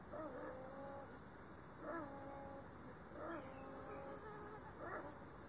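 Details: Ezo sable, one of two sitting close together in a tree hollow in a Shiretoko forest on 26 July 2018, mating-season calls with threat, seen as a breeding pair: four bursts of harmonic whining tones with sharp onsets, about every 1.5 seconds, faint and distant.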